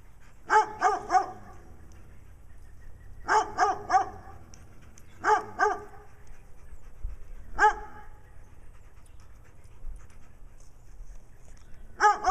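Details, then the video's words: Wadena, Minnesota: a brown dog barking for attention while Stella, black eye patches, acts nutty nearby; sharp barks in triplets and pairs, spaced roughly every two to three seconds, over a quiet background. "Stella the Dog with Black Eye Patches acting nutty while Brown Dog barks in Wadena Minnesota."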